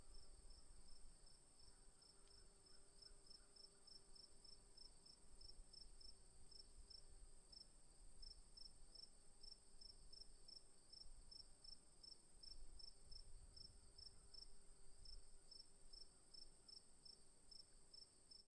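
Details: Crickets chirp steadily in the afternoon, high rapid pulses over a low background rumble. Finding: cricket.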